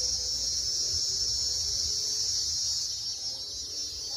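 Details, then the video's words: Cicada (Cicadoidea) song, given by males in the warm part of the year: a continuous, shrill, even buzz held throughout, easing slightly toward the end, over soft low background noise. "O "canto" da cigarra"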